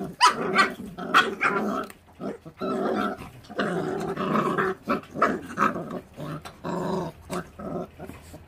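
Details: Feral dog puppies growling and snarling over food, a litter whose mother does not look after them; rough continuous growls broken by sharp snaps and clicks, repeated through the clip.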